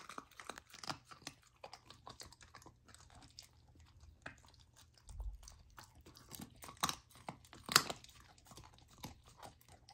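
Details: A golden retriever puppy named Lilo, fed a raw diet, crunches through raw lamb for the first time. Rapid clicky bites and crunches come roughly once a second, with one sharp loud crack near the end.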